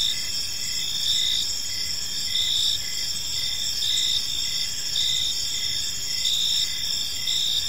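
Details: Evening cricket chorus in a serene park: continuous shrill trilling layered with short regular chirps about once a second, steady and unbroken, with a low rumble of distant background noise.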